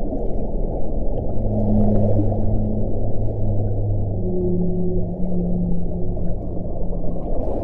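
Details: Whale calling underwater: long, low, steady moans with a deep tone and a fainter higher overtone, several drawn-out notes overlapping across the clip, over a constant rumbling hiss of sea noise.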